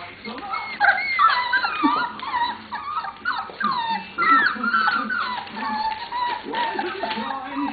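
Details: Puppies from Lola's litter, 27 days old, playing and interacting with each other: high squeaky whines and short yelps that rise and fall in quick, irregular bursts, with television voices from a children's programme in the background.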